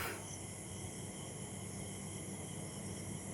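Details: Crickets keep up a steady, unbroken high trilling chorus over a low background rumble, heard from a balcony in Chakdah after evening rain, under a cloudy sky with a light breeze.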